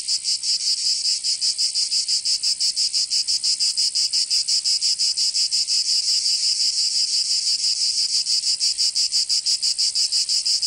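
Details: Provençal cicadas singing in southern French summer, a bright rasping drone beating in fast, even pulses, roughly three each second, carrying on steadily.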